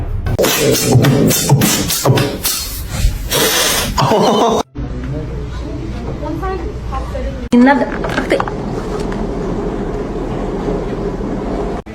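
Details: Loud speech over music, then a sudden cut to more music with background talk and thuds; no animal call.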